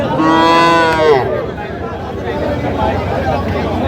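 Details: Cattle at a livestock market in Jamalpur, where farmers buy small bulls and heifer calves; one loud harmonic moo lasting about a second, rising then falling, followed by crowd chatter and market noise.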